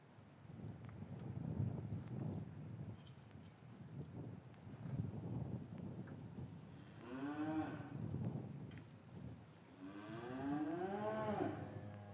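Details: Cows lowing in an English cattle yard on a winter afternoon, with calves separated from their mothers, recorded on a matched pair of microphones; low rumbling stirs for six seconds, then two drawn-out, rich moos rise and fall.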